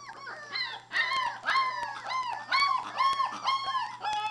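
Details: Three-week-old Labrador puppies playing, giving a rapid series of high whiny yelps and whimpers, each arched and falling, about two per second, with a low steady hum underneath.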